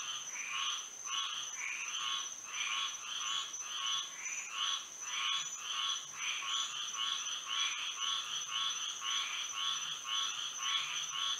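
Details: Frogs singing at night under moonlight in Florida, a dense chorus of overlapping nasal croaks repeated nearly twice a second, with a steady high insect whine running throughout.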